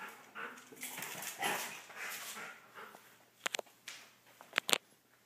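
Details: Rough play between a big dog and a little dog: soft breathy growls and scuffles early on, then two sharp, loud yipping bursts near the end.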